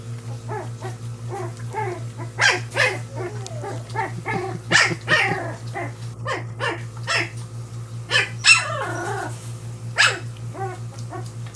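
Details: Portuguese Water Dog puppies from the Zeba and Dozer litter at their first meal, giving many high, quavering yelps, squeals and whines in irregular bursts, some sliding downward, over a steady low electrical hum.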